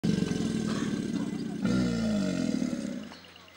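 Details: American alligators give deep, rumbling courtship bellows, low, rough roars that swell and then fade. This courtship bellowing typically begins each year in April.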